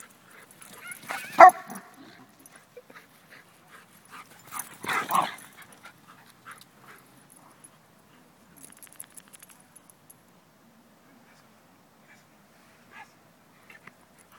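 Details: Border terrier and Old English Sheepdog, best friends, play fighting; two short bursts of yelping, whimpering dog noise near the start and around five seconds, then mostly quiet with faint scuffling and small clicks.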